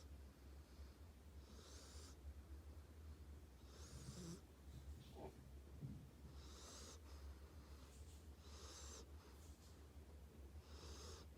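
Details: Tank, a sleeping dog, snoring: soft breathy wheezing bursts roughly every two to three seconds, each a hissy rush of air over a steady low hum in a quiet room.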